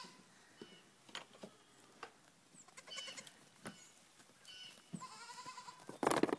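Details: Three-week-old goat kids dancing: scattered hoof clicks and taps, then a short wavering bleat near the end, with a louder burst of noise closing the recording.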